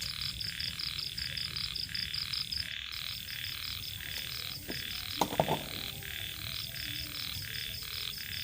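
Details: Small rice-field frogs calling in the evening along the edge of rice fields, a steady pulsing chorus of short croaks repeated several times a second, with crickets also in the mix and a few brief clicks and knocks nearby.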